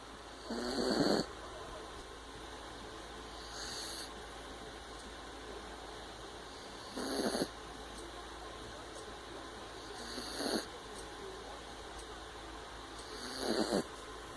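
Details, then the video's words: A puppy snoring while asleep: soft breathy rasping snores about every three seconds, each a short noisy burst, with quiet steady background hum between breaths. "Snoring puppy"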